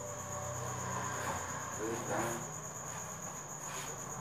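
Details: Crickets at the Thanh Bình cricket farm at 8 pm, while eggs are being collected for customers: a steady, unbroken high-pitched ringing drone that continues throughout, with a man's voice murmuring over it.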